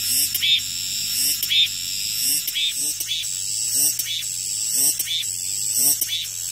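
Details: Cicadas in full song after rain, rhythmic grating bursts repeating about once a second above a steady high-pitched hiss, with a faint low hum.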